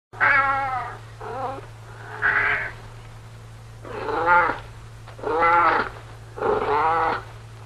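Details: Domestic cat meowing: six drawn-out, nasal meows, each about half a second to a second long, spaced roughly a second apart; several rise and then fall in pitch. A steady low hum runs underneath throughout.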